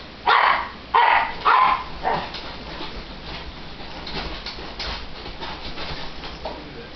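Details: Italian Greyhound, a 7-pound pet, lets out four sharp, loud barks roughly half a second apart, the last one softer. Fainter yips and snuffling sounds follow over a low background hiss.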